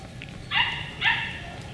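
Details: Beagle puppies from Camo and Buddy's litter, dated 4/27/20, give two short, high, bright yips about half a second apart, each with a slightly falling tail, over a low background hum.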